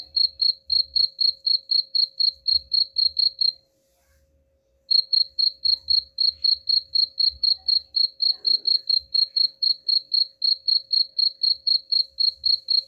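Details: Chirping cricket, said to repel rats: rapid high pulses about four per second, pausing for just over a second midway, then continuing steadily; faint low thumps beneath.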